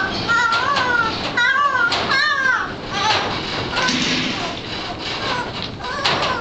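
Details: Bloodhound puppy in 2009, learning to bay: a run of short, high, arching yelps that rise and fall in pitch, clustered in the first two and a half seconds, then fainter calls over steady background hiss.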